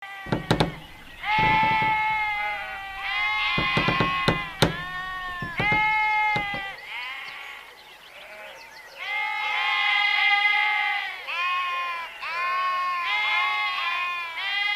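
Sheep bleating in long, wavering, nasal baa calls, one after another with brief pauses.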